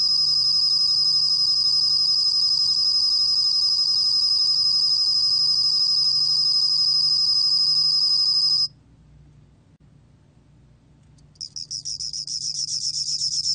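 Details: Bell cricket from a 2020 National Institute of Biological Resources recording. A high, shimmering pulsed trill holds steady for almost nine seconds and breaks off. After a quiet gap of about two seconds it resumes in choppier bursts that grow louder.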